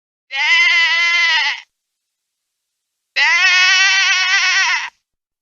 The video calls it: Sheep Bleat Sound Effect